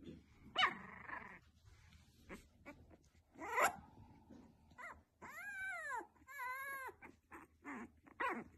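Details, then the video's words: Dogs indoors in a small room: a few short gruff barks and grumbles, then two long wavering high whines around the middle, followed by more brief barks. "Barking Bros"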